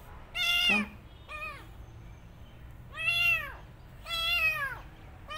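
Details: Kitten just after her rescue giving loud, drawn-out mews, four main cries each arching up and sliding down, spaced roughly a second or more apart, over a faint background hum.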